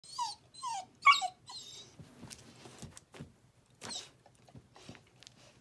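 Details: A 10-week-old male Bluetick Coonhound puppy cries with short, high, wavering whimpers, followed by quieter rustling as an adult Black and Tan Coonhound comes to him.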